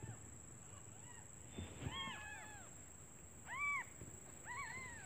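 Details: Hungry newborn kittens crying for their mother, who has gone out in search of food; a few arched, high mews in short clusters, separated by pauses, against constant low noise.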